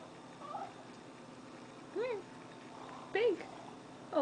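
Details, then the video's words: Timber, an orange and white house cat, begging for a treat while someone talks to him, lets out three short arching meows spaced about a second apart, the last cut off, over a soft human voice and quiet room hum. "Timber begging for a treat"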